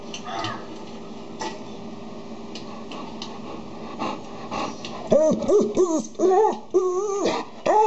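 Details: Dog, with a Golden Retriever calming down a Labrador indoors; after a quiet, murmuring start, a run of high, arched whines and whimpers rises and falls in quick succession over the last three seconds.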